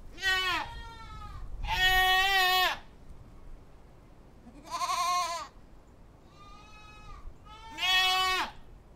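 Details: Goats bleating in a wavering, nasal voice: five calls over nine seconds, the first two loud and drawn out, the later ones shorter and quieter, with quiet pauses between them.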